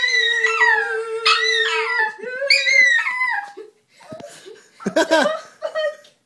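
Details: Chihuahua singing along to Adele: long, wavering howls that slide up and down, then break into short yips and whimpers, with a song playing under them indoors.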